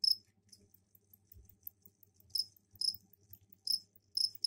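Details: Captive crickets in a container, recently given a pot of soil for egg laying, calling to attract mates; sparse, high, bright chirps come in short bursts scattered over a few seconds, with a faint low hum beneath.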